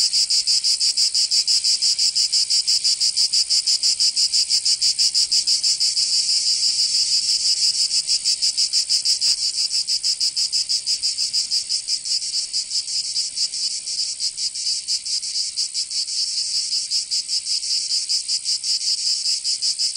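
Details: A long stretch of summer cicada song in Provence, southern France: shrill continuous buzzing with fast rhythmic pulsing near three per second, fading a little toward the end, nothing else audible.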